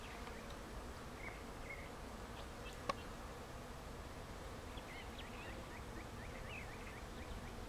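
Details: Thousands of bees buzzing in flowering trees at Sand Hills State Park, Reno County, Kansas, on May 2, 2004: a faint, steady low hum under scattered short chirps of small birds.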